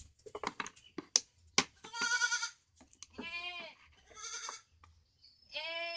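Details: Goats bleating in a farm setting, several harmonic, wavering bleats around two and four seconds and again near the end, with clicks and handling noises between calls.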